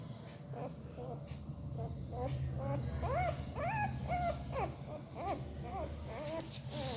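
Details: Puppy whimpering in its sleep with weird mouth noises: a string of roughly a dozen short, rising-then-falling whines, a few louder in the middle, over a steady low hum.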